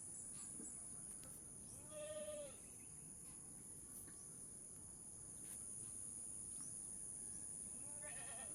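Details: Goat doe in difficult labour being helped to deliver her kid; a single loud, brief bleat near the start, then mostly rustling noise and a constant high whine.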